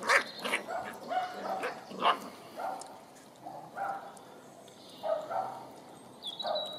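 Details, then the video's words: Nine-week-old Dandie Dinmont Terrier puppies running in the garden with Mum and Grannie give repeated sharp, high yaps and barks, about one every half second in clusters, with a thin bird note near the end. "Dandie Dinmont Terrier puppies"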